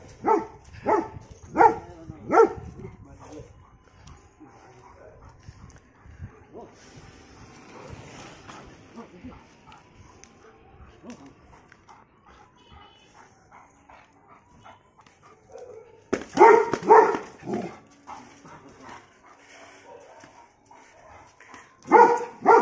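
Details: German Shepherd fighting street dogs: bursts of harsh, rapid barks open the recording, a long quieter stretch with faint background sounds follows, then loud barking returns in clusters near the end.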